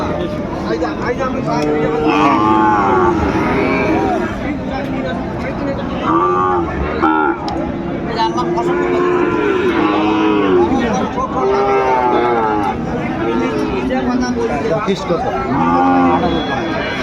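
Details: Sahiwal bull calves for sale at the Ambari cattle market in Dinajpur, Bangladesh, on 18 November 2024, as trading opens. Drawn-out harmonic moos rise and fall repeatedly over a dense crowd of chattering voices.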